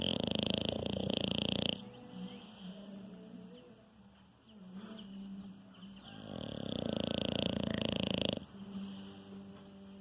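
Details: French Bulldog Anitta asleep and snoring: a gravelly, vibrating snore at the start and another about six seconds later, each near two seconds long, with softer breaths and a faint steady hum between.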